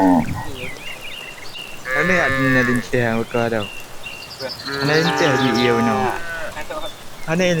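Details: A herd of cattle coming back from grazing on a rural evening. Several moos overlap in quick succession, some short and some drawn out, with evening birds chirping throughout.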